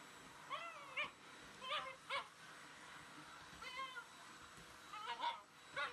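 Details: Shiba Inu fighting a running vacuum cleaner, with strong hostility toward it: high, wavering whines and yelps in short bursts, several rising and falling, over a steady background hum.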